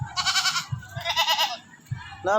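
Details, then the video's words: Neighbour's domestic goat being coaxed to eat by a child: two harsh, buzzy bleats about half a second each, then a rising nasal cry at the end, with a voice calling it closer and faint background music. "papakainin mo Ang kambing"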